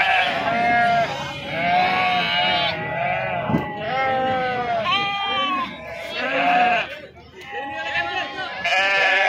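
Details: Sheep being unloaded at the Pebbair sheep and goat market, giving repeated wavering bleats from several animals that overlap one another, with people talking throughout the market bustle.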